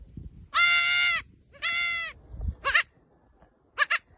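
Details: Little goats wearing pink headbands bleat loudly, with long nasal cries followed by shorter wavering ones.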